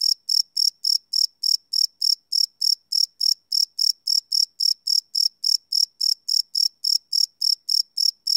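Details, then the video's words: Live night recording of crickets made with a Sony PCM D100 field recorder: rapid, even, high-pitched chirps, about three and a half each second, continuing without pause and with nothing else audible. "Cricket Chirp Sound - Cricket Sounds at Night"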